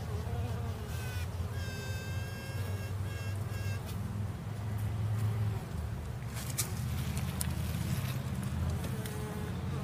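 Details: Female honey bee: a steady low droning hum runs throughout. Brief bright tonal bursts with stacked overtones appear early on, and a few sharp clicks come later.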